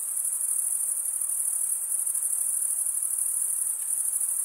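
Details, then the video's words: Crickets chirping by stridulation, rubbing one wing along the toothed vein of the other. A dense, shrill, high-pitched trill runs unbroken, with a faint soft hiss beneath and no other animals or voices. "Most relaxing cricket sound for 8 hours"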